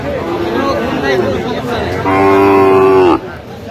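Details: Sahiwal bull calves at a cattle market in Brahmanbaria, Bangladesh, on 21 October 2025: soft low murmurs, then one loud, steady, drawn-out moo lasting about a second that cuts off abruptly, over faint crowd chatter.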